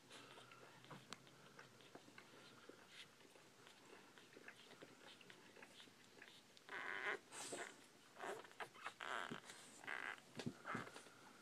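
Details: Newborn Bull Pei puppies: quiet rustling at first, then a run of loud, tonal squeals and whines from about the middle onward, each lasting under a second, repeated in quick succession indoors.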